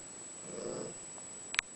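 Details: Spocky, an old, unwell pet cat known for talking, comes around to have a chat a week before dying in January; a brief, low, murmured meow, then a sharp click in a quiet room.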